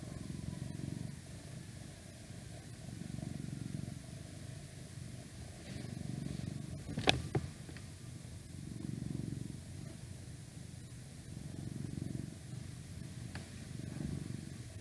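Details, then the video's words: Pet cat purring close up, a deep continuous rumble rising and falling in regular breath cycles about every three seconds, broken once by a sharp click near the middle. "Cat Purring"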